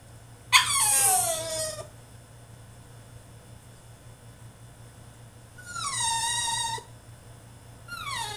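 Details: ['Tantrum from a French Bulldog shut in his cage: a sharp onset into a long falling whine, a pause of several seconds, then another sustained whine and a final short descending cry.']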